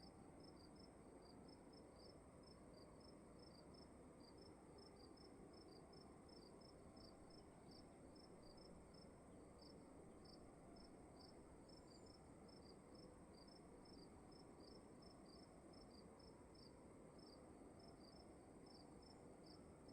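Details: Cricket chirping in a room at night, short high chirps repeated steadily about twice a second, with a second caller faintly overlapping, over a constant low rumbling hum that fills the background.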